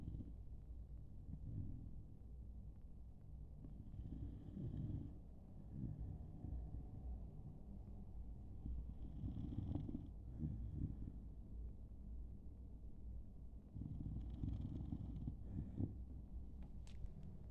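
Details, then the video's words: Sleeping dog snoring: low rumbling breaths rise and fall in slow bursts roughly every five seconds, deep and throaty with little high sound, and a faint click near the end. "ХРАП СОБАКИ"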